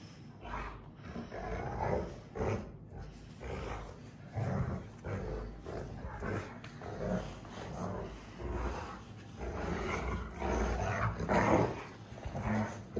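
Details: Rottweiler sisters in a tug-of-war game, growling; deep throaty growls in repeated surges about once a second, with gritty snarling texture and handling noise.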